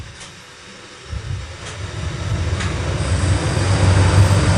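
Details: Rumbling, rhythmic mechanical noise resembling a train builds in loudness, with a few sharp clicks and no animal sound.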